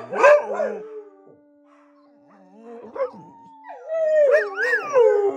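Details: Several dogs howl before bedtime. A loud wavering howl opens, a quiet gap follows with a faint rising note, then overlapping, bending howls swell at the end over a constant low hum.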